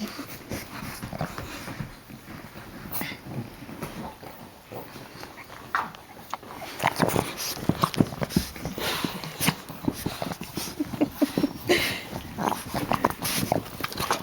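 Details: Puppies Geraldine, Olive and Laverne playing, giving short squeaks and soft whimpers among busy scuffling and clicking, with a voice speaking softly at times.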